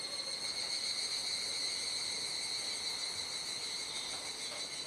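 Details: Evening cicada chorus in Kuji, Iwate Prefecture, Japan, 17 July, rainy season, as the sky darkens: continuous high shrill droning with several stacked tones, slowly fading slightly toward the end.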